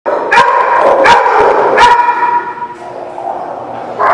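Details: Dog barking at a dog lot, three sharp barks in the first two seconds over a continuous din of many other dogs yapping and barking in the background.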